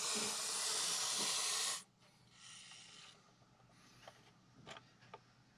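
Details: Montpellier snake in defensive reaction to a threat gives a loud, sustained, noisy hiss for nearly two seconds, stopping abruptly, followed by quieter shuffling, faint softer hisses and small knocks.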